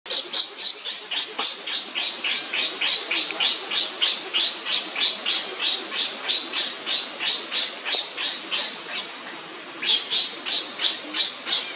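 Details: A young monkey crying while on the ground, being pestered by another monkey: rapid, shrill, piercing cries repeated about three times a second in a steady run, with a brief pause near the end before resuming.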